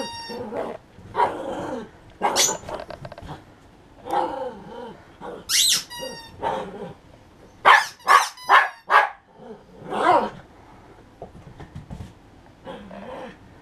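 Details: Pet poodle BOOMER plays tug with a rubber toy, March 2016: sharp irregular barks and rough growls in quick bursts, with shrill toy squeaks and a person's voice in between.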